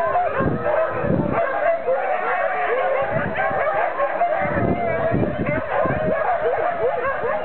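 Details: Huskies at Iso-Syöte kennels in Finland bark, yip and howl together in an unbroken din, with bursts of low thumping barks standing out against the steady wavering chorus.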